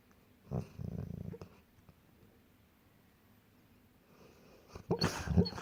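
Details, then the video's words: Golden retrievers asleep and dreaming: a low rumbling snore-like breath, a pause of quiet breathing, then a loud breathy snort. "Golden retrievers dreaming and snoring"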